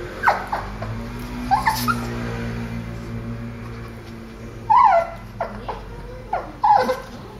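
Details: Two dogs, Mimmo the Boston terrier and Dédé the petit brabançon, tense and trying to escape in a veterinary clinic waiting room, give short rising-and-falling whimpers and whines in bursts, over a low steady hum of the room.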